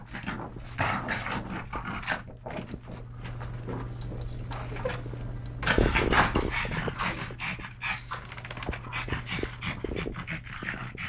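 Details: Two rescued pug brothers, Yogi and Mister, from the SPCA in Malta, panting while wrestling and playing indoors; rapid rhythmic breathy snorts about two or three per second, with thumps and scuffling of play throughout.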